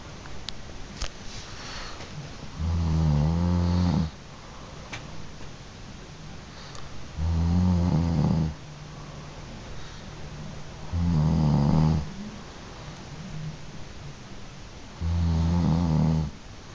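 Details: Grizzly bear (Ursus arctos horribilis), snoring.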